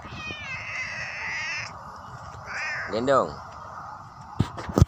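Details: A clever cat utters a short, arched meow that rises and drops, after a longer, faint, steady tone, with music playing and a few clicks near the end.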